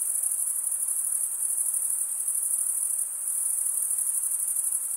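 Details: Male crickets stridulating, a dense, unbroken high-pitched trill with a fine pulsing texture that holds steady throughout, with a faint hiss underneath and no other sounds.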